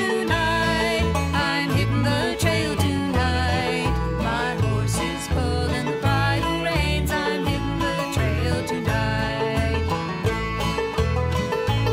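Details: Upbeat bluegrass music with banjo, guitar and a singing voice plays throughout at a steady level.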